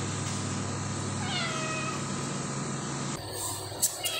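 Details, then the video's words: Cat on an early morning visit giving one drawn-out, wavering meow that rises then falls, over a steady low engine hum, followed by a few sharp clicks and rustles. "#meow early morning visit"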